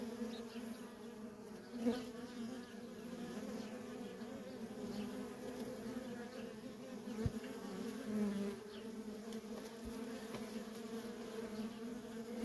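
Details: Steady low buzzing of worker honey bees streaming in and out of a feral colony, broken by a couple of brief louder passes of single bees close by.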